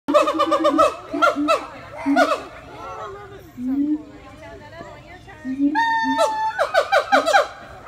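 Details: Siamang apes giving mating calls: loud harmonic notes that slide up and down in rapid bursts, with steady low tones between, a quieter stretch in the middle, then a fresh volley of sharp, ringing calls.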